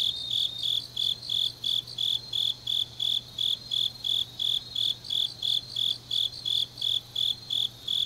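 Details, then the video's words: Deep-night autumn chorus of grass insects from Changnyeong in southern Korea: about two dozen sharp, ringing chirps in eight seconds, regular and metallic, a second insect pulsing just above, soft steady hum below. "깊은밤 가을 풀벌레 소리"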